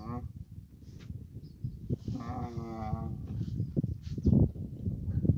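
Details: Camel in Abu Dhabi in mating season letting out a single wavering, harmonic moan lasting about a second, surrounded by steady low rumbling noise and scattered thumps.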